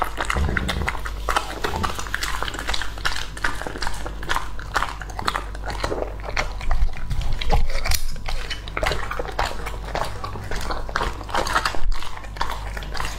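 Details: Raw-meat meal of Lucky, a male English Labrador aged two and a half, heard close up: steady crunchy bites and moist gnawing clicks repeat quickly and unevenly throughout, over a constant low hum in a small room.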